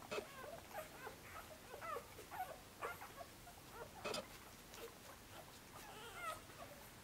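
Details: Korthals Griffon puppies from Djip's litter in the nest on their sixth day, busy and searching for a teat to nurse: thin high squeaks with bending pitch, several overlapping, repeating irregularly, with rustling in between.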